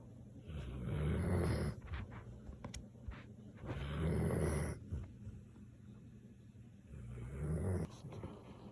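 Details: A Samoyed dog snoring: three long, low rumbling snores, each lasting over a second and coming about every three seconds, with soft, quiet breathing between them and a faint steady background hum.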